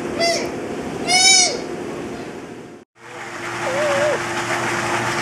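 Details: Young sea otter in its first months at an aquarium: short high squeaky calls, one with rich stacked harmonics, followed after a pause by a wavering whistled squeal, over steady humming background noise.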